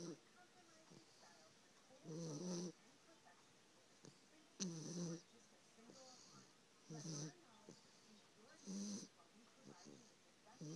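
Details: Sleeping dog snoring steadily, rough low rumbling snores with a breathy hiss on top, coming roughly every two to two and a half seconds, with softer wheezy breaths between them in a quiet indoor setting.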